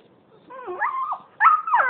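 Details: Puppies Maya and Max play-fighting; two high, bending whines, the first wavering down then up, the second sharper and rising, fairly loud and clean.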